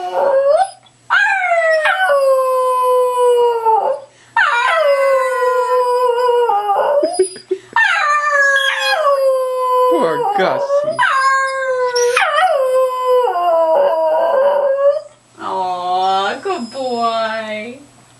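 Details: Pet Cairn Terrier singing and howling on command indoors: long sustained howls with rich harmonics, each sliding downward, in drawn-out phrases separated by short pauses, ending with a wavering, yodel-like hooting howl.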